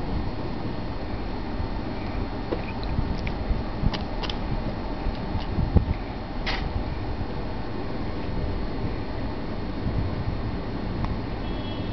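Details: Steady indoor hum like a fan, with a few faint clicks and no animal voice heard.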